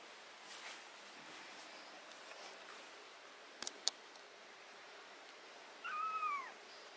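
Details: A single short meow from a cat during removal of botfly larva, ringworm, fungus and blackheads from its skin, rising then falling near the end after quiet handling clicks.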